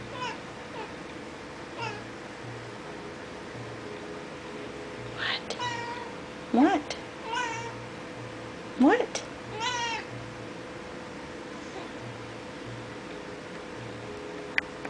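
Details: Female kitten indoors, excited while watching birds through a window, gives a few short chirping, trilling calls with wavering pitch between about five and ten seconds, amid quieter stretches and a steady electrical hum.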